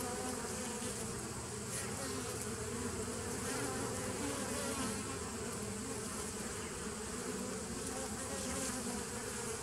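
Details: Steady buzzing of many bees in a 2017 nuc on 27 September 2018, a thick droning hum with slightly wavering low tones that never pauses across the whole stretch.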